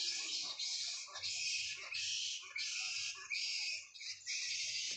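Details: On a quiet morning at a bat sanctuary, hundreds of bats hanging in trees, possibly mahogany, chatter constantly, giving high, harsh, overlapping squeaks and calls without a break.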